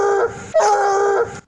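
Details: A bloodhound bays in two strong, drawn-out, fevered bursts with a fairly flat, wavering pitch.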